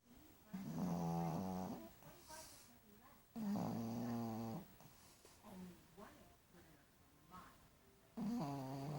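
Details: Tired dog snoring: long, buzzy, rasping inhalations of about a second each, roughly every three seconds, with softer snuffling breaths in between.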